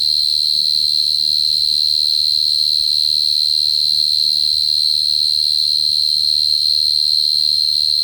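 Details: Steady shrill trilling of a dế cơm bait cricket, one sustained high note running unchanged from start to end, with quiet low rumbling underneath.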